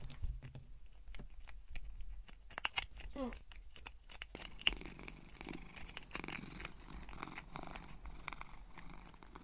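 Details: Cat purring while eating crunchy dry Whiskas snacks indoors, a low continuous rumble under frequent sharp crunching and chewing clicks, with no talking.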